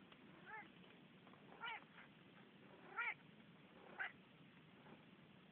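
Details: Rudi, a talkative Manx cat, gives four short chirping, trilling meows spaced about a second apart, each a quick rising-then-falling harmonic burst over a soft steady background hiss.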